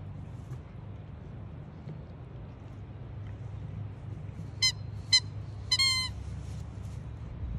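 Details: Jasper, a Siberian Husky up for adoption from Pet Harbor Rescue, squeaks with help from foster siblings: three short, high, harmonic-rich squeaks near the five- and six-second marks, the last one longer and sliding downward, over a steady low hum.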